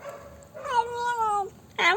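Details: Black pet cat making funny noises after eating Dairy Milk chocolate: a long, tonal, slightly wavering meow, level then gently falling, followed by a short, sharp, harsh burst at the end; quiet indoor background.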